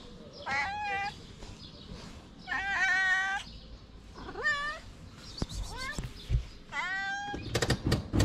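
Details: Hungry stray cat on a street in Morocco begging for food, meowing loudly at the top of her voice: a run of about six harmonic, slightly rising-falling meows in quick succession, with faint background noise and clicks at the end.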